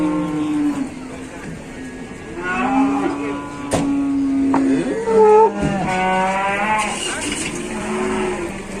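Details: Cattle at a livestock market, a big bull: several long, steady, low moos with rich harmonics, overlapping from more than one animal, with a sharp clap and crowd noise behind.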